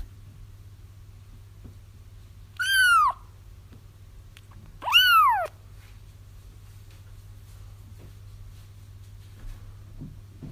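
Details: Two piercing kitten mews, each sliding steeply downward, about two and a half seconds apart, from a recording for luring a feral mother into a trap; long quiet gaps filled by a low electrical hum.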